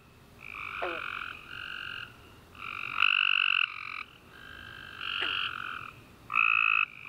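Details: Tree frogs chorusing at night after a warm rainy summer day: overlapping bursts of rapid pulsed chirping with two bright bands, each burst lasting about half a second to a second, alternating with brief lulls; a short descending sweep also heard.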